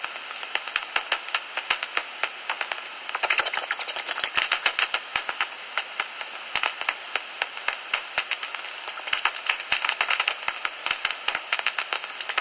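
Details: Common noctules chatter from a tree-hollow roost near Ibbenbüren on 17 August 2019, 15 minutes before sunrise, in rapid, dry clicks and high squeaky chirps.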